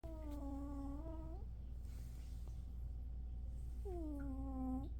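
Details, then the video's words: One-year-old cat snoring: two drawn-out, tonal, nasal breaths, each over a second long with a steady low pitch and rich overtones, about four seconds apart, over a constant low indoor hum. "Stevie snoring like an old man! He's only one year old!"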